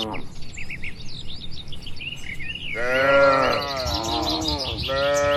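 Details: Bird chirps fill the opening seconds, then cattle in a crowded farm pen break into a long, strong moo followed by two more drawn-out lowing calls from the tame herd.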